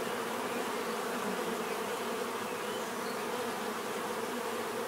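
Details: Continuous natural buzzing of a crowd of bees, a thick unbroken droning hum with stacked tones and no pauses, holding a constant volume.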